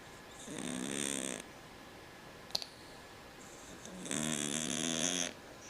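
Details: House cat snoring, likened to a man's snore: two harsh buzzy breaths about three seconds apart, with a brief sharp click between them.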